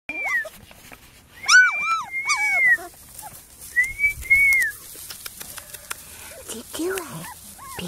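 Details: Female Porti-Doodle puppy, a Portuguese Water Dog and Standard Poodle cross, giving high, drawn-out whines that rise and fall, in short bursts with a pause mid-clip; human voices are heard nearby.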